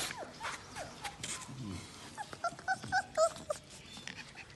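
A Chow Chow puppy whines in short, high, tonal yelps, several in quick succession near the middle. Softer scuffling and faint murmuring sounds fill the background.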